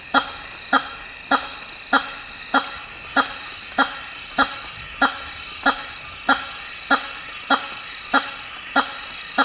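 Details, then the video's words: Repeated resonant honks from a hammer-headed fruit bat, the largest bat in Africa, whose males make loud calls with huge larynges; clipped blasts come roughly every 0.6 seconds in rainforest, with a shrill insect chorus behind. "The weird sounds of Hammer headed fruit bats"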